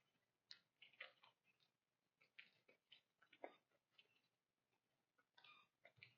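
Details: A whitetail doe and her fawn eat a pile of corn on a woodland trail at sunrise in fall, making soft, irregular crunching and clicking chewing sounds in quick uneven bursts, with soft birdsong and wind in the leaves.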